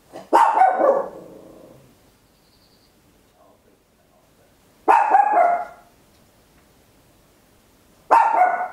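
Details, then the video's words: Home stereo recording of a tiny Papillon barking very loudly, made with an Olympus LS-11; three forceful, ringing barks at irregular intervals of about three to five seconds, each with a fading tail, otherwise quiet room. "Tiny Dog Barking Very Loud, Papillon"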